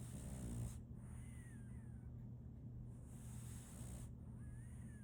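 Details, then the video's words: A sleeping French Bulldog puppy named Solaimy gives one short, low rattling snore at the start, then soft hissing breaths with a faint steady hum underneath. "RONQUIDO de un French Bulldog"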